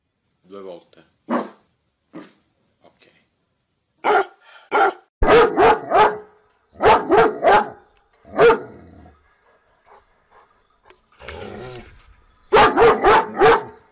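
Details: Bursts of rapid, strong dog barks come in quick runs of three or four, pausing between volleys, with a little growling and some speech in the background.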